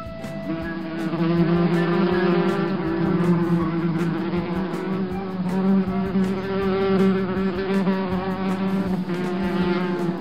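A bumblebee's deep, steady buzz drones on, wavering slightly in pitch as it flies.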